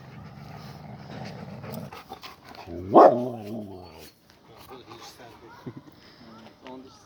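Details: Siberian Husky named Suzy, out in a forest, gives one loud harmonic yelp-like cry midway, rising and then falling, while people talk before and after with rustling in between.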